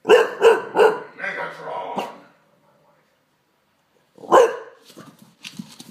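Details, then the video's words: Male Olde English Bulldogge named Daddy, frightened by a Megatron toy, gives three quick loud barks, then lower grumbling. After a silent gap comes a single sharp bark and quieter voices. "Olde English Bulldogge Daddy scares with Megatron"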